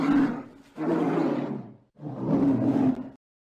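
A polar bear gives two deep, rumbling roars with a harsh, growling texture.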